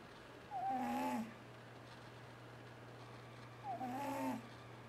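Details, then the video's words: Sleeping cat T-Jay snoring noisily as he dreams: two drawn-out, faintly whistled breaths about three seconds apart, each with a buzzy lower tone, against a constant low hum. "T-Jay the cat snoring and waking up"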